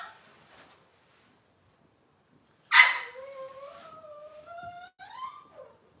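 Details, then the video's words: Cavalier King Charles Spaniel puppies of Robin's litter, filmed indoors on a kitchen camera, let out a sharp yelp followed by long, drawn-out whines that rise and fall, then a short final whimper. "Cavalier Puppy Live Stream: Robin's Puppies"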